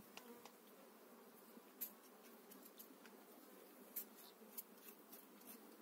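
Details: Calm honey bees in a newly stocked hive in spring, a faint, even hum with light ticking and several sharp clicks from hive handling.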